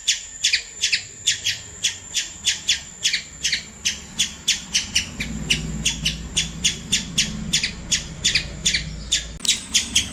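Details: Squirrel calling in rapid, rasping chirps, about three per second, a long unbroken run of sharp buzzy notes with a faint low rumble underneath.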